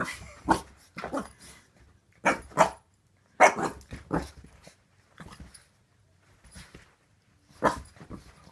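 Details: A young pet Boxer bitch, suspicious of her new squeaky toy, lets out short, sharp barks, often in pairs, with softer huffs and long pauses between bursts. The barks are quieter overall, in a calm indoor setting.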